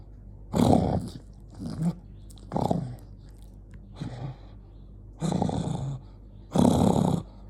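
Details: Jonggi, an angry dog, gives uneven rough growls, some short and some longer, loud low rumbling bursts separated by pauses of varying length, in a small indoor space.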